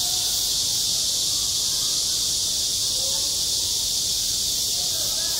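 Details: Midsummer cicadas at a school playground make a loud, even, high-pitched sizzling drone filling the whole stretch, with only a couple of faint short notes beneath.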